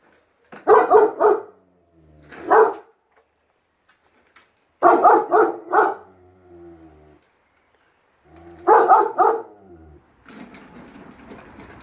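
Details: German Shepherd Enzo and Siberian Husky Shira, pet dogs, vocal back and forth while Enzo treats the lawn mower as evil: short clusters of two or three loud, rough barks, then pauses, ending in a stretch of broad hissing noise.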